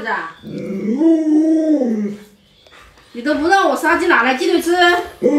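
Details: Alaskan Malamute named Luoluo vocalising to rouse its owner, who is still in bed with the sun already up. A drawn-out, wavering woo rises and falls for two seconds, then a pause and a second, more broken run of yodel-like howls.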